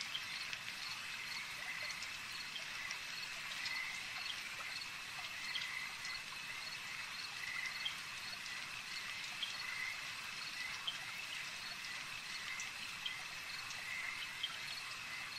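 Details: At a lake, frogs keep up a long, even chorus of buzzy trills. Sharp clicks pop out at irregular intervals, alongside a steady high-pitched hum.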